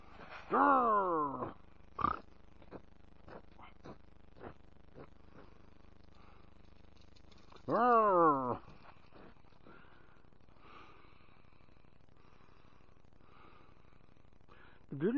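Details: Sammy, an American Foxhound, singing along with his owner: two loud falling howls with rich harmonics, the first near the start and the second around eight seconds, separated by faint clicks and low murmurs.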